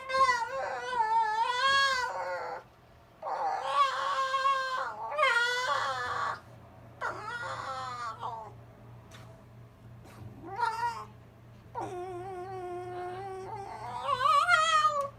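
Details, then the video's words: Silver fox Zorro, the little brother, whines to bug his brother Tod at night in their kennel; long, wavering, harmonic whines come in repeated bursts, some sliding up sharply at the end, with brief quiet pauses. "Zorro the silver fox whining and yawning"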